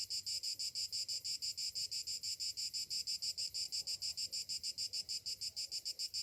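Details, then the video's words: Morning cicadas in summer, their high buzzing song throbbing in regular pulses near three a second, strong and unbroken over a quiet low background. "Morning summer cicadas sounds"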